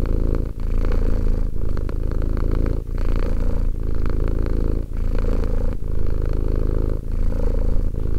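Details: A two-year-old pet cat purrs in a deep, vibrating drone, the rumble pausing briefly about once a second between inhale and exhale, with nothing else audible.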